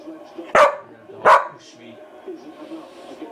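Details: Obi, a pet dog, barking indoors: two sharp, loud barks about three-quarters of a second apart, followed by a low, quiet murmur of background sound.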